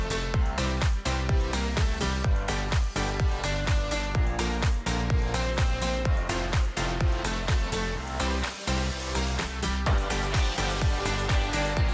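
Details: Driving electronic dance music with a steady thumping beat throughout; no animal sounds.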